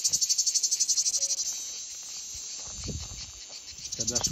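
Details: Cicada giving a rapid, pulsed, high buzz for about a second and a half, which then drops to a softer hiss with some low background noise before the pulsing returns.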